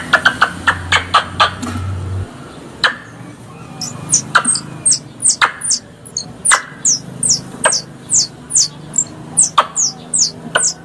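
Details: Squirrel calls used to lure the animal when hunting: opens with a burst of quick clicks and a low hum, then a long series of shrill downward-sliding chirps about twice a second with scattered clicks.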